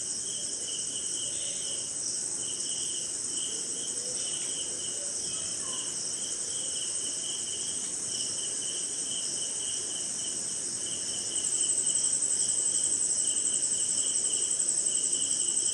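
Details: Crickets calling through a rainy night in India: a constant thin high trill that grows louder toward the end, alongside a lower pulsing insect trill repeated in bursts about twice a second, with gentle rain noise.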